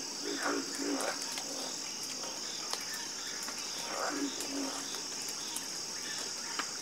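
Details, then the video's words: Croaking frogs call in a calm chorus: paired low grunts at the start, then scattered croaks near the end, over an unbroken thin whine of insects and a soft rushing background. "Calming Sound Of Harmonious Frog Croaking"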